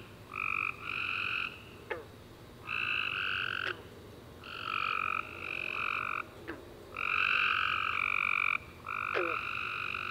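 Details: Summer night after warm rain, with tree frogs calling in a busy chorus. Loud buzzy chirps come in clustered bursts, callers overlapping almost without pause, and sharp clicks are scattered through the chorus.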